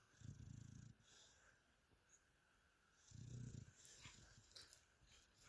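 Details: Mia the dog asleep indoors, giving two soft, low, rumbling snores about three seconds apart, with quiet stretches in between.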